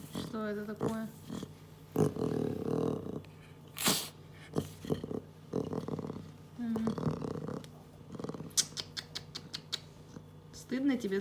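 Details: Captive young female leopard cub talking, getting angry, grumbling and snoring; low rumbling grumbles and short harsh bursts alternate with higher yowling calls, a human voice also heard amid scattered clicks and rustling.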